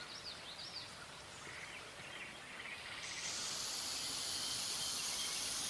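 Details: Threatening black rat snake, Pantherophis alleghaniensis, mouth open wide with tongue flicks and jaw stretching; after soft bird chirps, a loud breathy hiss rises at about three seconds and holds, sustained and level, until the clip ends.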